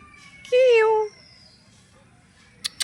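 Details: A kitten found on the road in a village gives one loud, drawn-out meow lasting about half a second, falling slightly in pitch, followed by quiet room tone and two faint clicks near the end.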